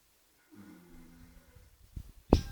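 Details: Oscar, a horse, snoring while asleep: a low, droning harmonic snore lasting about a second, followed by short breathy puffs and one sharp, loud snort-like burst near the end, in a quiet small room.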